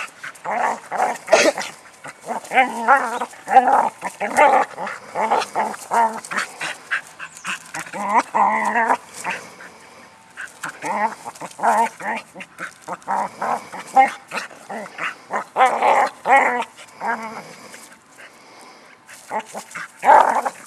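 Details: Border Collie named Ann, busy herding a rock, keeps up a long run of excited yips, whines and short barks in dense clusters with short gaps; a person calls her near the end.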